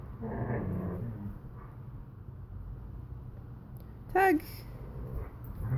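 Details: Borzoi and Collie puppy playing tug together indoors: a low rumbling growl in the first second, then quiet, then a sudden high, sliding whine near the end, followed by more soft growling.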